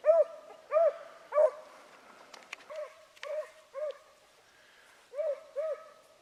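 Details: Hunting dog baying while running a rabbit on Salt Lake WMA on the morning of 2 February 2018. Clear, arched, musical bays come in quick bursts, about two every second, with a pause in the middle.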